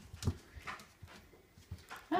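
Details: One of Fiona's puppies indoors, near a litter tray with a toy, gives brief high whimpers over quiet pattering, ending in a louder squeal.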